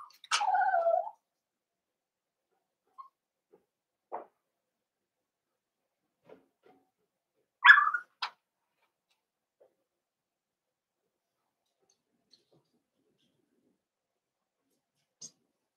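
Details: Cavalier King Charles Spaniel puppies in a puppy pen meet bigger adult dogs for socialization: a drawn-out, wavering whine opens, then faint scattered sounds and a brief yelp-like call midway, followed by near silence.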